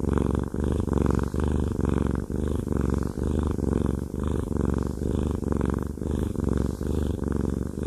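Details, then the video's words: Male cat Haku, who loves massages, gives a rich low purr with rhythmic breath-paced pulses, a few brief dips between breaths, heard close in a quiet room. "Haku Fluffy Cat has a Massage/ ASMR"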